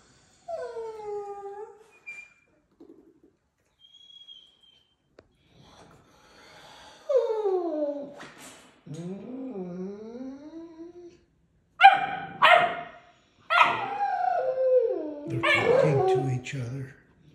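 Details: Deutsch Drahthaar puppy in its third week of bench training, high descending whines and yelps, several drawn-out and wavering, in short bursts with pauses between.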